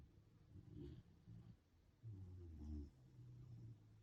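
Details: A corgi snoring while pulling a funny face: low, rough, rumbling breaths in three bursts of about half a second to a second each, quiet overall with short pauses between them.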